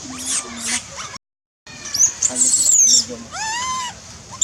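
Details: A baby monkey in the forest of the Angkor Park area cries loudly to call its mother while hungry. It gives shrill high squeals and then a tonal wail that rises and falls. Low voices talk in the background.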